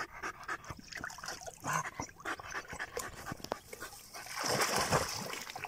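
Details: German Jagdterrier panting in +45°C heat while its owner tries to keep it cool; rapid, irregular breathy pants with wet trickling sounds, rising to a louder burst near the end.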